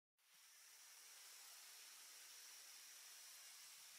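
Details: Boa constrictor constrictor, about three metres long, filmed in French Guiana on 20 April 2024 at 14:32 with a Panasonic FZ300: a sudden breathy hiss begins and holds steady and loud without a break, bright and airy throughout.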